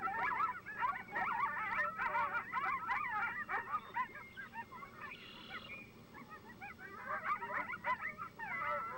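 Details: Several coyotes give a group yip-howl, a chaotic chorus of high yips and wavering, quavering howls, used to identify their territory's location to coyotes in nearby territories.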